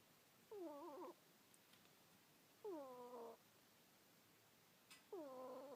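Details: Pet ferret named Kuuta snoring while asleep at home: three whistled, harmonic nasal snores, each about half a second, rising then wavering, spaced roughly two seconds apart in a quiet room with faint clicks.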